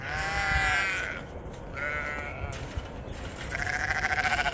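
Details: Sheep on a homestead, ewes and lambs coming in as the snow melts: several loud, quavering harmonic bleats in succession, the last with a fast tremolo flutter, over a low rumbling background.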